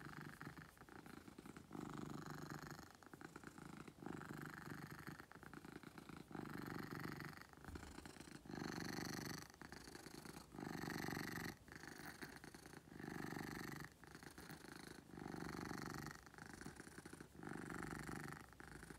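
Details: Beetle the pet cat purrs loudly and steadily for nearly twenty seconds, rumbling vibration pulsing in regular breath cycles about every one and a half seconds, indoors.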